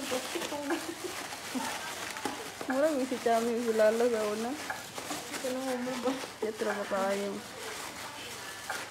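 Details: Shih Tzu puppies playing with balloons indoors give drawn-out, wavering whines in two main bursts, pitch wobbling up and down, with rustling and scuffling sounds from play in between.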